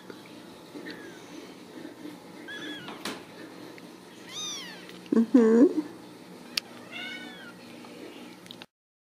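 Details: Ragdoll kittens from a home cattery in central Kansas giving scattered high, arching mews, a few seconds apart, with a louder low voice and soft handling noises between them indoors.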